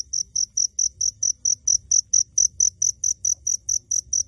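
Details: Close recording of a hidden cricket: bright, high chirps spaced evenly, each short pulse clearly separated, roughly four to five per second, with quiet low background noise.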